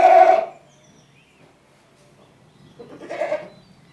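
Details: One loud, short goat bleat at the start, then near silence and a second, fainter and rougher bleat about three seconds later.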